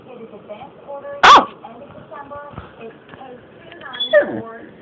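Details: Basset Hound Sophie, being silly, gives a sharp bark, then a lower, drawn-out falling yowl, with a person talking.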